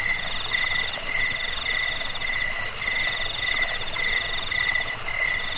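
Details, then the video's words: Chirping cricket for repelling rats, bedtime listening and bird tutoring; quick bright pulse trains repeated a little over twice per second, several insects overlapping in an even, unbroken ringing chorus. "Suara jangkik pengusir tikus pengantar tidur"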